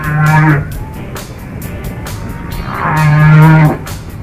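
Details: Humpback whales talking to each other in a recording played during a whale-watching trip to Washington State and Alaska: two deep, level moans about three seconds apart, each topped by a fanning sweep of higher overtones.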